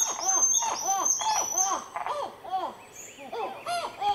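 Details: Black-fronted titi monkeys in Nazare Paulista, Brazil, a baby with the group, give rhythmic series of arched, hooting notes that rise and fall in quick succession, with brief lulls, while thin, high whistles sound over the first seconds.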